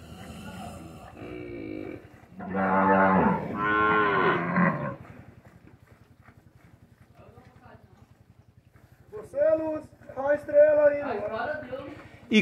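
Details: Cows and calves in a corral in the morning during hand milking, calves suckling from their mothers: two long, loud, rich moos back to back, then a run of shorter rising and falling moos near the end, over a steady low hum.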